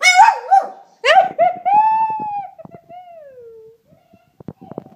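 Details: A Pekingese trained for weeks gives wavering, moaning howls shaped like the words "I love you."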